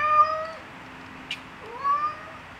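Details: Cat that has seen a bird gives two soft, drawn-out meows: a level wail at the start, a brief click midway, then a second meow rising in pitch before it levels off, over quiet room hiss.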